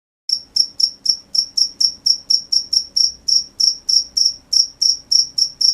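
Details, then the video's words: Crickets at night: sharp, high chirps repeated steadily about three to four times a second without a break, each a short bright pulse, over a quiet background. "The sound of crickets at night"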